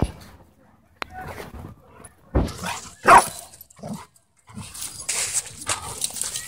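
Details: Luna, a German Shepherd mix, plays intensely with Bodhi, a German Shorthaired Pointer, at a dog park. A sharp click opens the clip, two loud gruff barks come in the middle, and scuffling, panting noise fills the end.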